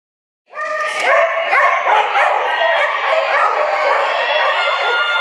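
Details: Excited dogs barking at an indoor flyball tournament in Dover Ice Arena, New Hampshire, April 2011; after a half-second of quiet, rapid sharp barks and shrill yips burst in and continue, layered with crowd chatter.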